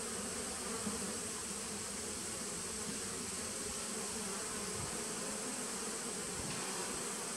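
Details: Honey bees of a nucleus colony begun in 2017, recorded 19 September 2018: a thick, constant buzzing drone of many bees, level and unchanging throughout, with a faint high hiss above.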